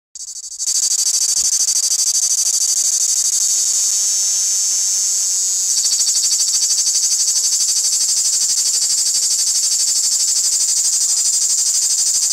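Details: Live cricket calling: a steady, shrill, high-pitched trill of rapid, evenly pulsed chirps that starts after a brief quiet moment and runs unbroken, growing slightly louder midway.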